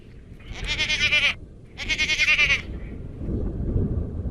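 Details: Two strong, quavering bleats from Garut goats, each lasting under a second with a pulsing, vibrato quality, followed by low rumbling background noise on a farm.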